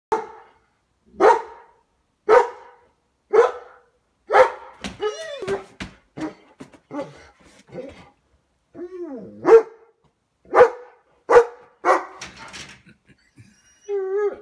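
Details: A German Shepherd barking at birds gives loud, deep barks, repeated roughly once a second in a steady series.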